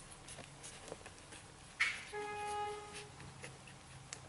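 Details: One-day-old whippet puppies in the nest, Q litter at Rabbit's Cove, one giving a sharp short squeak followed by a steady, slightly wavering whine of about a second, over a quiet room background.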